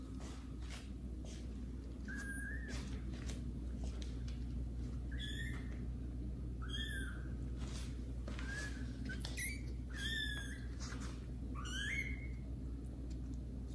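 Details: Kittens Caramel and Zephyr, grown and exploring new rooms of the house, meowing loudly while meeting adult cats Kira and Daddy; about eight high, rising-then-falling meows, some clustered, over steady low indoor hum.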